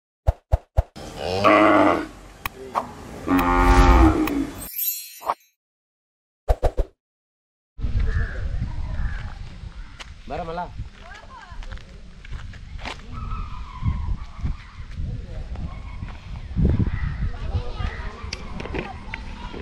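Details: Hallikar cattle lowing: a loud, harmonic-rich moo swells and fades across several seconds near the start, broken by brief silence, then a long stretch of rustling, knocking farmyard noise with scattered faint thuds.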